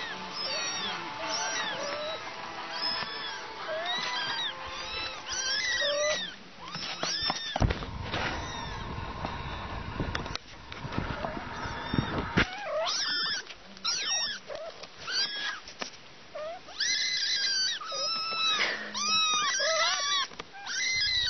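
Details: Kittens and their mother cat mewing in a compilation, many overlapping high, arched meows throughout, broken by a burst of broadband noise in the middle.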